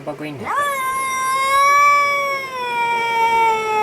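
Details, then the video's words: Angry cat making horrible sounds: after a brief human voice, one long, steady, nasal yowl holds a fairly high pitch for over three seconds, slowly sinking toward the end. "Angry Cat is Yelling and making Horrible Sounds!"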